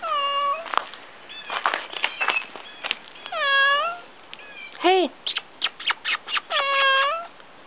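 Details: Found kitten, thought injured or in a fight, meows repeatedly: long wavering cries mixed with short sharp yowls and quick clipped calls, roughly nineteen a minute, with human voice at times.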